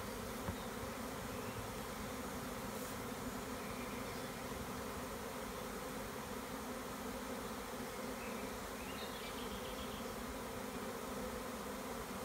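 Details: Spring swarm of honey bees in the Tuscan Maremma countryside, taken from a tree by a beekeeper; constant low buzzing roar of many bees, steady in loudness, with faint bird chirps late on.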